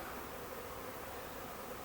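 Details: Thousands of swarming bees in a backyard in Huntington Beach, a swarm that returns every year, settling toward a bush: a dense, steady, even hum filling the air with no breaks.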